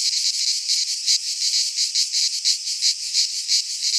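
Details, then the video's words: Midsummer cicada chorus from a pine forest in Greece, a harsh high-pitched rasping drone that swells and fades in rapid irregular pulses, roughly one to two per second, steady throughout. "Cicadas singing in midsummer - Nature sounds from the Greek fauna - Sounds of cicadas"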